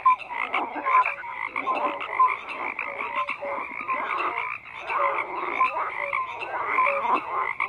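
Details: Frogs croaking in a dense chorus, overlapping rough croaks and short tonal notes layered together with no pause, a steady busy wall of calls.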